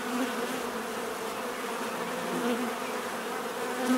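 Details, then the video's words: Natural buzzing of bees, a dense continuous hum with layered low tones that swell slightly and shift in pitch as individual insects pass close. "bees therapy relaxing natural buzzing sound"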